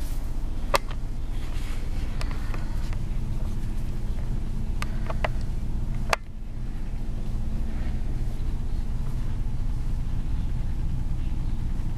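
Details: A steady low rumble like a passing vehicle, broken by a few sharp clicks and knocks, with no animal calls.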